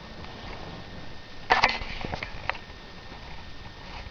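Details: A dog named JoJo dreaming and making noises in his sleep indoors: a brief cluster of soft sniffing, snorting puffs around the middle, then scattered faint huffs over quiet room hiss.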